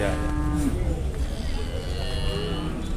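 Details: Jumbo cattle at market in Indonesia while buyers bargain: a brief low moo in the first half-second fading off, then busy market chatter and background hum.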